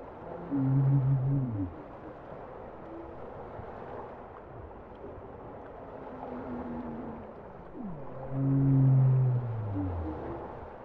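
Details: Bowhead whale song: two loud, low, steady moans with overtones, each about a second long and ending in a short falling slide, separated by quieter wavering tones and a descending sweep, all over a continuous underwater hiss.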